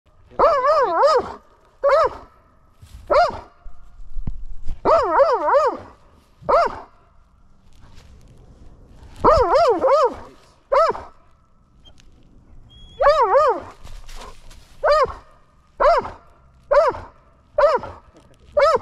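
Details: Belgian Malinois Strider, excited during mantrailing practice in the woods on December 17, 2022, gives high, wavering yelping whines in clustered bursts, some nearly continuous, others spaced about a second apart, with quiet gaps and faint low rumble between.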